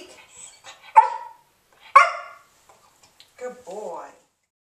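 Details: Trained to 'speak' on command, Remington, a young English Springer Spaniel of 5½ months, gives two sharp barks about a second apart indoors, followed by a person's voice saying 'good boy'.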